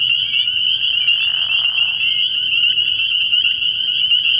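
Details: Night chorus of many spring peepers at a frogpond in early spring. Their high piping notes blur into a constant shrill wall of sound, and a softer, lower rasping sound passes through the first two seconds.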